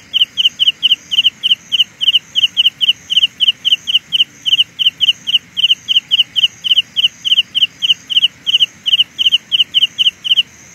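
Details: Carolina ground cricket creating a sound illusion: steady run of short, high, sharp chirps about four per second, paired with a fainter, even higher pulsing trill overhead, continuing without break over quiet background.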